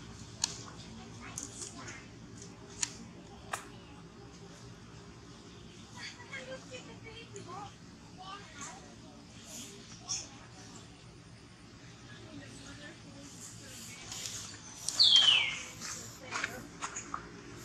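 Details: Hungry baby monkey begging its mother for milk: one brief, high, wavering squeal sliding downward late in the recording, amid scattered clicks, faint rustling and soft handling noises.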